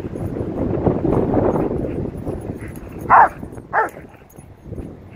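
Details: At the park, Macho the Rottweiler lets out two abrupt, sharp barks about half a second apart after several seconds of rushing wind and rustling.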